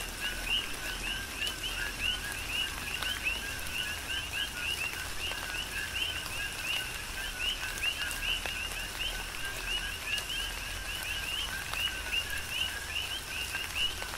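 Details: Chorus of many coqui frogs on the Big Island of Hawaii during tropical rain. A rhythmic, unbroken wall of chirping notes at two pitch levels runs throughout, with rain patter and sporadic heavier drops.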